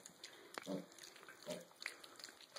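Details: Six-and-a-half-week-old mini pig piglets, born 22 July 2013 and recorded 6 September 2013, eating their last breakfast together as siblings indoors; two short, soft grunts near the start and middle, with a woman talking nearby.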